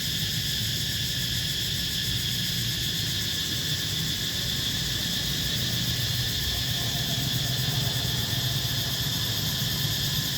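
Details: Cicadas in Siem Reap, Cambodia, give a steady, shrill buzzing drone that holds without pause, over a low background rumble.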